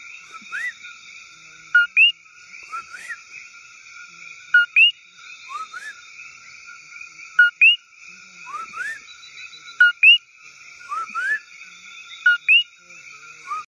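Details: Common coqui (Eleutherodactylus coqui) calling at 8:20 pm on 1 August 2014 in rainforest at Patillas, Puerto Rico: a two-note 'co-kee', a short low note then a higher upward whistle, with a person whistling in the background.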